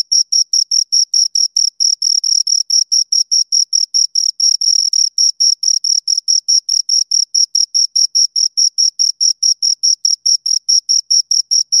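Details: Pair of crickets giving rhythmic high chirps, evenly spaced short pulses at roughly two or more per second, continuous and loud against a silent background.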